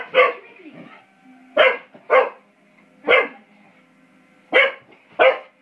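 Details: Young English Springer Spaniel, five months old, barking while playing with a door spring: six punchy barks spaced unevenly, two close pairs among them, with a faint steady hum underneath.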